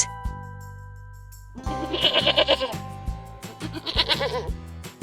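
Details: Goat bleating in two short tremulous bursts, each wavering and pulsing rapidly, separated by about two seconds, over steady background music with a plucked melody.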